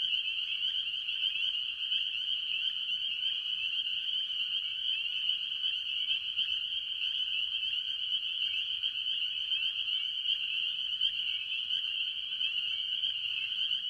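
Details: Spring peepers dominating a mixed tree frog chorus at a farm pond in the early year; a relentless high-pitched peeping din from many frogs, steady throughout with gentle rhythmic pulsing and faint low rumble.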